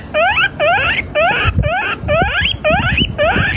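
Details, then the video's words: Rodent giving a run of seven loud, rising squeals with rich harmonics, each about half a second long and coming roughly twice per second, over low rumbling background noise. "Weird Rodents Sounds"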